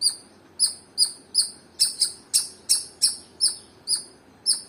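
A squirrel gives sharp, high chirps repeated steadily, about two or three each second.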